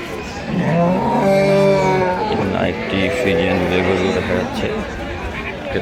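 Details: Friesian dairy cow at Ambari cattle market, giving a drawn-out harmonic moo lasting over a second, followed by a softer, shorter call, amid a busy background of human voices and market chatter.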